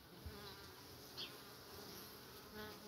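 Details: Honey bees at the hive entrance doing a back-and-forth movement locally called rendosvane (washboarding), without fanning their wings; a steady low buzzing hum with faint harmonic bands and a few brief ticks.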